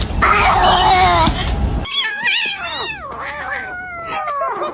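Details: Domestic cat, one of many in a funny cat compilation, giving a series of drawn-out meows whose pitch wavers and slides downward, following a short burst of loud, harsh, noisy sound at the start.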